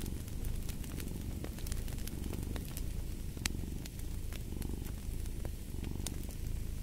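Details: Domestic cat purring, a deep continuous rumble swelling with each breath, while a fireplace crackles with frequent bright pops.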